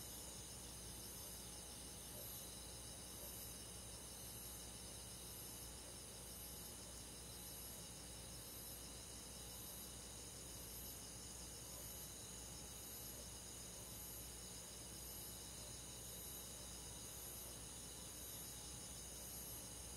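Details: Summer-night insect chorus of crickets and other countryside forest bugs: a constant shimmering wall of high trills, softly pulsing in the upper range, with a faint low rumble beneath and no break over twenty seconds.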